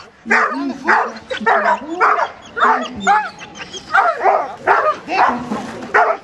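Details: Border Collies of Maranns Home at a 2007 reunion, 25 August, during an English and Belgian obedience demonstration: a run of loud, sharp barks repeating roughly every second, with a low human voice running underneath.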